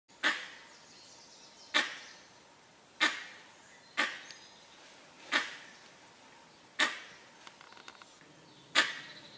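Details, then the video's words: Langur giving alarm calls: sharp, explosive bark-like blasts, each short and harsh, repeated irregularly every one to two seconds over a quiet background. "Langur alarm call"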